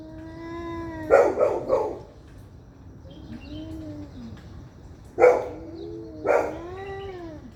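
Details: Two angry cats fighting: low, wavering drawn-out yowls with rich overtones, broken twice by sharp, explosive spitting bursts, each burst in a quick cluster of two or three.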